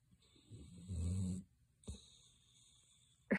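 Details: Greater Swiss Mountain Dog sleeping, giving one low rasping snore-like breath of about half a second, then a short soft exhale and a brief sharp click at the end; a steady high electrical hum runs throughout.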